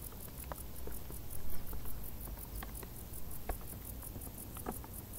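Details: Summer crickets in tall grass chirping in a rapid, even pulse of high-pitched notes, accompanied by a deep constant rumble and occasional sharp ticking clicks.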